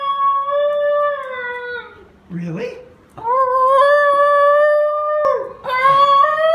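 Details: Basenji Ginger Snap, a female dog started off by her brother Graham Cracker, yodels indoors: long sustained wavering howls near one pitch, broken by a short lower growly yelp, then rising again into another drawn-out tone.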